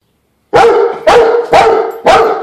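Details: Rottweiler barking at a floor jack it dislikes: four loud, deep, harmonic barks about half a second apart, each with a brief rising onset.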